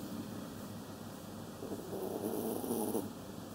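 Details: Kaninchen Dachshund snoring: a soft, airy snore swells in the second half and fades, with a faint steady background hum.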